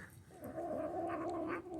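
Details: A young female Manx kitten with food boundary issues gives a low, steady, grumbling "gremlin" growl while eating, guarding her food.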